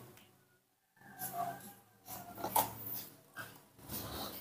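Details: A newborn baby monkey, hand-raised indoors and waiting to be fed, cries repeatedly for milk in a series of harsh, broken squeals and wails rising and falling over several seconds, with soft handling noises.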